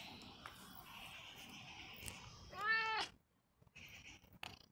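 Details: Pet cat Roger, described as expressive, lets out a single loud, drawn meow with rich harmonics toward the end, preceded by a faint steady hum and followed by soft shuffling sounds.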